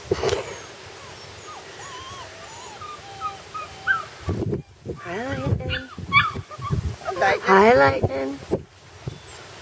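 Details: Puppies out for their first day whine in wavering high cries, quiet at first, then louder overlapping yelps and whimpers mixed with a person's voice urging them outside to potty.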